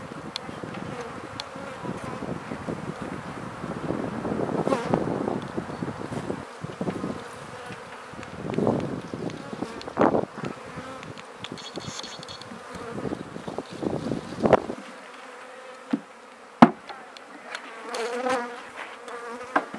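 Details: Honey bees at new beehives being set up and fed, a low steady humming drone broken by loud knocks and handling bumps, settling to a cleaner hum with a few sharp clicks toward the end.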